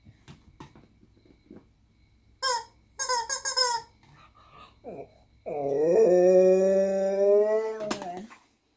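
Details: Female Siberian Husky, a pet, acting silly indoors and singing along with her owner: a few short high whiny yelps, then a long, steady, harmonic howl held for about two and a half seconds, with a quiet room and faint voices.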